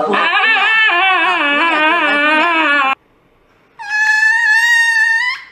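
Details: A dog about to get an injection lets out a long wavering, quivering cry for about three seconds, then falls silent briefly before a second, steadier high-pitched howl. Recorded indoors, nothing else clearly heard.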